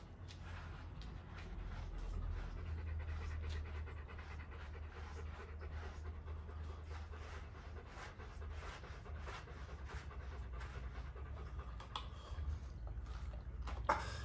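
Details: Golden Retriever panting while being brushed indoors: steady, rapid breathy huffs in an even rhythm throughout, with soft brushing and shuffling noises, a low room hum, and a brief sharper knock near the end.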